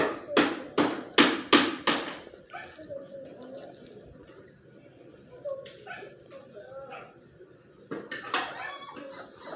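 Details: Miniature Australian Shepherd puppies: a burst of five sharp high yips in quick succession, then quiet soft whines and squeaks, with another short cluster of yips near the end, indoors in a small room.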